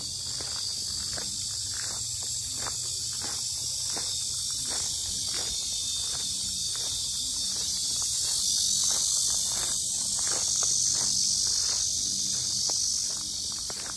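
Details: Very loud cicadas at the Sinjeongho lotus park in Asan, Korea, a dense, even, high-pitched whirring drone that swells slightly midway, with faint footsteps underneath.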